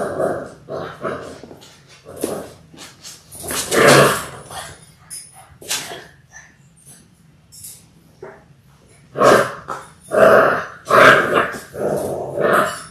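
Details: Six-week-old Labrador Retriever puppies from a litter of six born January 18, 2022, on an indoor puppy cam on February 28, giving bursts of loud yapping barks and yips, some overlapping, with quiet gaps and possible human voices.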